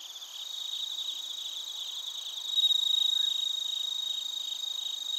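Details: Bell crickets and other crickets chirping in Narita, Chiba Prefecture, Japan, recorded on a TASCAM Portacapture X8: high, ringing trills layered over one another, with pulses repeating about four times a second and swelling louder after the halfway point.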